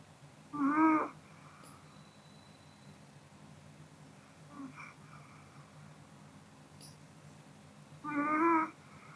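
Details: ['Kodama the Pomeranian sleeping after a meal; two clear whistly snores about seven seconds apart, with a fainter breath between them, in a hushed room.']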